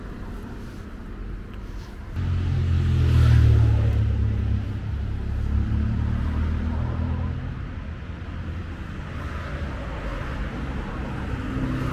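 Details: Low vehicle rumble and traffic noise swell and fade, with no animal calls.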